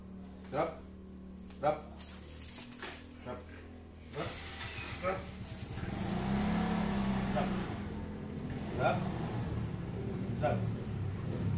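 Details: Rottweiler Babols growls during a tug-of-war game over a toy; a deep pulsing rumble swells in the middle, with clicking and thumping from the play and human speech before and after.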